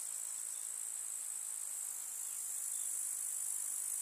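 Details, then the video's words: Grasshoppers stridulating in a summer countryside meadow with wild flowers: a continuous thin, very high buzzing trill, even and unbroken throughout. "КУЗНЕЧИКИ. Слушать звуки летнего луга"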